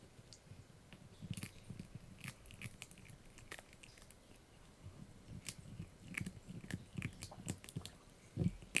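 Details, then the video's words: Yorkie puppy Blue chewing a dried bunny ear in a small room: steady soft crunching and gnawing with scattered sharp clicks, a louder crunch near the end. "Yorkie Puppy Eating Dried Bunny Ear 🐾 | Funny Faces & Crunchy Sounds!"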